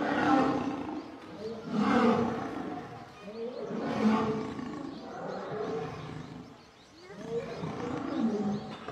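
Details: Group of lionesses attacking a male lion, heard as overlapping rough snarls and growls rising and falling every second or two, with throaty grunts and hoarse, breathy bursts.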